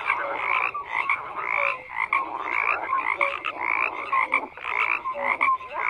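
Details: Frogs croak in a thick overlapping chorus, raspy pulses roughly once a second mixed with short rising whistles, the din swelling and dipping slightly throughout.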